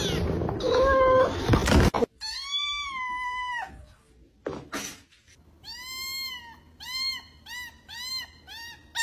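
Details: Domestic cat meowing: a long, drawn-out harmonic meow that rises then falls, a pause with a few thumps, then a quick run of short, clipped meows repeated about once a second, ending with a bump.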